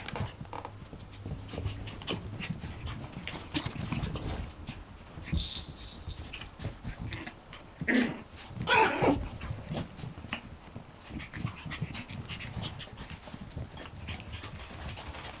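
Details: Seven-week-old Yorkshire Terrier puppies pant and rustle quietly, then one gives a loud, sharp yelping cry midway, followed by a second strained squeal. Faint whines and handling noise continue around it.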